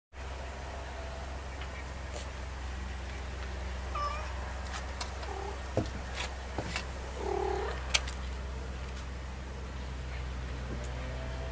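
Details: Sarah, a neighbor's cat hanging out on a porch, vocalizes her displeasure after a lizard she caught keeps escaping. She gives a few short, faint calls around the middle of the recording over a steady low hum, with scattered clicks and rustles.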